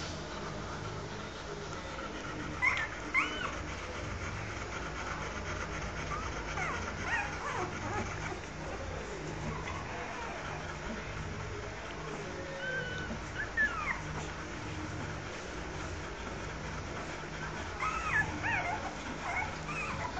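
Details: Newborn Rottweiler puppies of the litter nursing on their mother Yuki give occasional high, thin squeaks and whimpers, a few short rising-falling cries spread through a steady low background hum and rustling.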